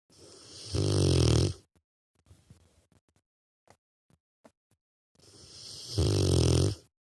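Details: Rottweiler puppy snoring in its sleep, two long, deep, rattling snores about five seconds apart, separated by quiet breaths and small soft clicks.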